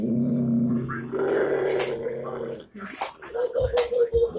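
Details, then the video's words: Doodleman pinscher dog growling: a low, steady rumbling growl for about two and a half seconds, followed by short broken growls and snorting bursts. "Doodleman pinscher growling"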